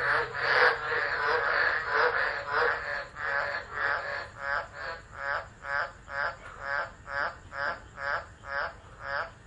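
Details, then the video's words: Frogs, possibly including green tree frogs, in a loud chorus of nasal, pulsing croaks repeated about twice a second during a tropical low, at Driver, Northern Territory, Australia, on 13 December 2013. "Tropical Storm Frogs Singing (turn up volume for full effect)"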